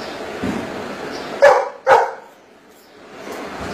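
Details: A Golden Retriever does maths on cue, answering a spoken sum with two punchy barks spaced roughly half a second apart, with soft room noise and a little murmur before and after.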